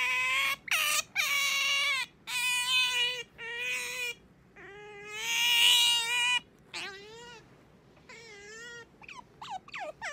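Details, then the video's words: Pet otter Sakura waking her owner in the morning with insistent, loud squealing: bursts of harsh, bright cries, wavering drawn-out wails, and rapid short rising chirps toward the end. "朝は静かに起こしてくれないカワウソ Otter coming to wake me up"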